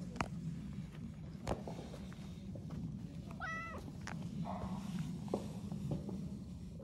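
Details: Stray calico cat met on a New Year walk, purring in a steady low rumble throughout, with one short rising meow midway and a few soft clicks and rustles nearby.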